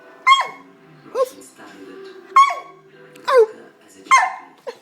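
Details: A 19-week-old German Shepherd x Labrador cross puppy barking on command indoors during trick training, five short sharp yelping barks spaced under a second apart, with a voice giving commands and praise between them.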